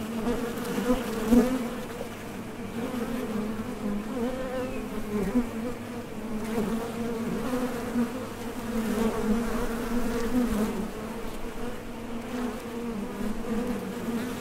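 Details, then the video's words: Steady buzzing of many honey bees at the mouth of a top bar hive while foragers depart for nectar and return; an unbroken low drone with gentle swells and a few close fly-bys. "HONEY BEES Sound Effect #MasonJar | BEES BUZZING"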